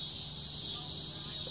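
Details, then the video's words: Continuous piercing buzz of cicadas in summer, a steady sizzling whine from start to end with a faint low background hum. "Sound of summer Cicada's"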